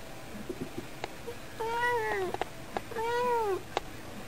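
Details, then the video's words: Talking pet cat meowing in a cute voice: two arched meows about a second apart, each rising then sliding down, with soft clicks and taps around them. "しゃべる猫 「あぶない!!」 - Cute meow voice of my cat."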